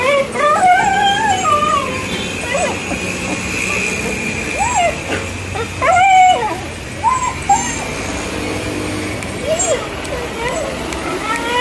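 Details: Stray street dog running up to greet a person, crying happily and jumping for attention; a series of high, wavering whines and yelps that rise and fall, with speech and street traffic behind.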